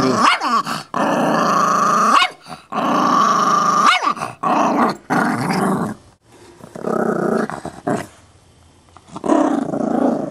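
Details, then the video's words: Chihuahua mix putting on a tough act over a bone; rising snarling growls in repeated bursts with yelping edges, then softer rumbles after a quiet gap. "Psycho Chihuahua with an attitude?! Nope--All bark, no bite, and surprisingly friendly!"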